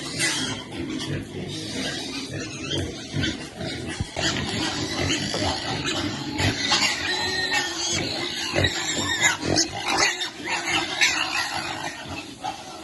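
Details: Mother pig feeding her piglets: quick, rough grunts repeated almost three times a second, mixed with shrill piglet squeaks and some background chatter.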